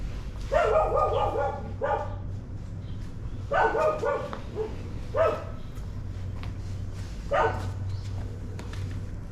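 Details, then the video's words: Several dogs barking one morning: loud, raspy bark bursts in quick clusters of two to four, then single barks, with gaps of a second or two and a low hum throughout. "A morning with the sound of dogs barking"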